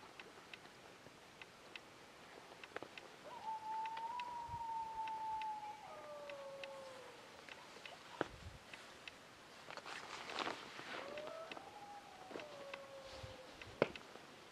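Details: Wild dog howling at night on a ridge near camp, 2am in July at -3 degrees, drawing closer: sustained level howl that breaks downward into a lower falling note, repeated after a pause, over faint rural background noise.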